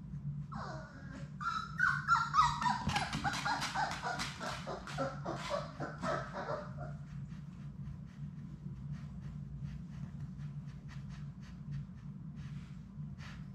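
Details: Sadie's six Labrador Retriever puppies at play in their puppy play room: a burst of high, wavering whines and yelps over the first few seconds, followed by scattered clicking taps against a steady low hum.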